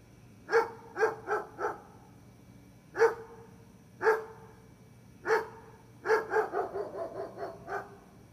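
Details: Gunner the dog barking: short sharp barks, single at first then a rapid run of about six near the end, each with clear stacked harmonics, against a quiet background.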